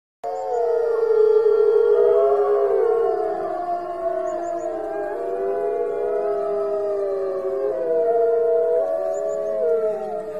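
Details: A pack of white wolves howls at once, drawn-out voices gliding up and down and weaving over one another in a steady chorus, pitches crossing and some voices breaking into brief yips.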